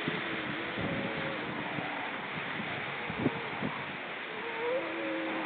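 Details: Seal calls recorded on October 29, 2014: low wavering tones that slide up and down, with a brief higher sweep near the end, over a steady hiss with scattered clicks and knocks.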